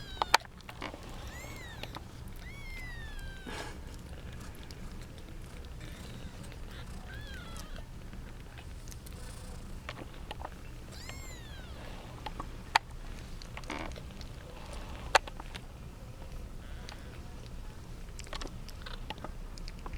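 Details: Kittens from a litter of eight, seven girls and one boy, competing over their mother; several high arched mews, some in quick pairs, rise above steady low hum and scattered clicks and taps.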